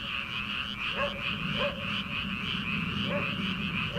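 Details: Early-summer night in rice paddies before transplanting, many frogs calling: brief upward-sweeping croaks about every half second to second above a thick, constant chorus and a persistent high-pitched trilling background.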